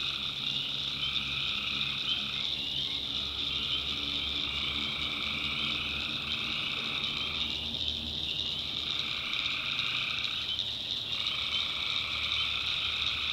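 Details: Swamp at night in the North Carolina backwoods filled with calling tree frogs: a thick, continuous high trill, with a lower chorus layer pausing briefly around every three to four seconds before resuming.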